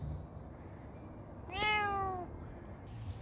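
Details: A rescued cat utters one strong meow, starting abruptly, holding a steady harmonic tone and easing downward in pitch before stopping, against soft room noise.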